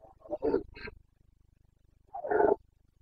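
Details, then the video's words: Carpathian red deer stag roaring during the autumn rut in the Bucovina mountains, Romania: a cluster of short, rough grunting bursts, then a pause and one more harsh roar of similar pitch. "Boncănit / Carpathian stag Breeding season"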